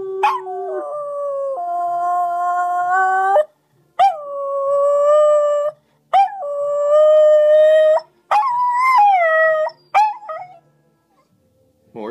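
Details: Domestic dog howling at length indoors: long, sustained, tonal howls held for several seconds each, gently wavering and rising in pitch, broken by short gaps and a few sharper yelping onsets, with a brief human voice near the end.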